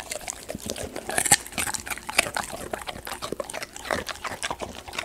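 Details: A Golden Retriever chews raw sweet potato with wet, crunchy bites and smacking lips.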